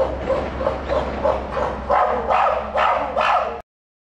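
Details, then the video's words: Captive chimpanzee at Tennoji Zoo, December 2021, crying out: a rapid run of harsh, tonal shrieks about every half second, each burst growing louder toward the end, over a steady low hum. "プテリの叫びと久しぶりのリッキーたち（Puteri's cry and Rickie's group I met after a long time） 天王寺動物園 チンパンジー"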